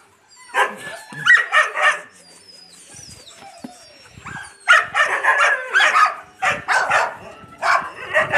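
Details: Yakutian Laika puppies with their mother Rumba bark loudly in quick series, a three-bark burst, a quieter pause, then a longer string of rapid barks about four per second, faint bird whistles behind.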